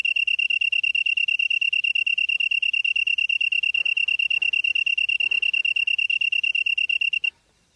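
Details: Grass insect recorded at dusk, about 8 PM in September 2016, in Cheonghak-ri, Namyangju, Korea; a bright, high-pitched rapid pulsing chirr runs continuously, with faint soft rustles midway, then cuts off abruptly near the end.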